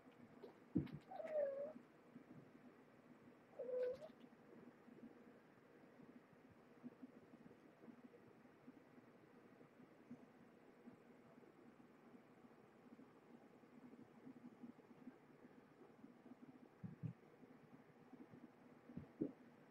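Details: Dinnertime at Purrfect Pals with mother cat Marge, once a pregnant stray, and her five kittens born November 22nd, 2014: two short wavering meows in the first four seconds, then a quiet room with soft rustling.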